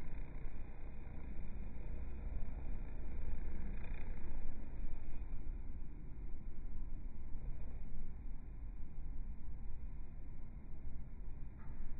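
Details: Low rumbling vehicle or engine noise outdoors in a rural setting, steady and broadband, with no animal sound picked out.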